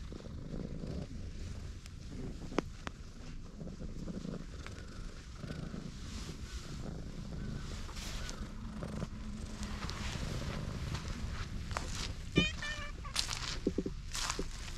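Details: Tortoiseshell cat, a clingy park stray, curled on a lap on a bench outdoors. It purrs in a soft, continuous low drone, broken by a brief, higher chirping sound near the end and light rustling.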